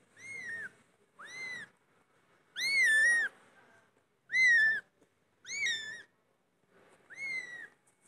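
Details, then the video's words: Repeated loud cat meows: seven high, arched calls that rise then fall, some louder and fuller than others, coming about once a second in an irregular series. "مواء القطط بصوت عالي"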